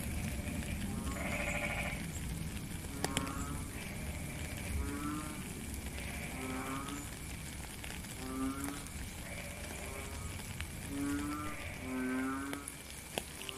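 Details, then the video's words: In the rain, a chorus of frogs gives repeated short, nasal croaks rich in overtones, roughly one every second. A steady high drone and heavy low rumble of rainfall run throughout. "Frog and Rain"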